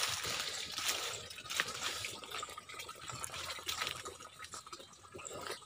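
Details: Steady trickling and dribbling water fills the recording, with faint splashes and no animal voices.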